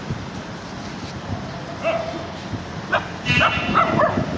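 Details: Small dog barking: a few short, sharp yapping barks clustered in the second half, the last three coming quickly one after another, over a steady background hiss.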